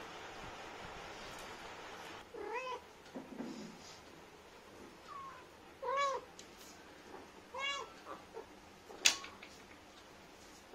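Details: Indian street cat Lilly talking to her kittens: scattered short meows and thin high mews with pauses between, a few soft chirps, and a sharp click near the end.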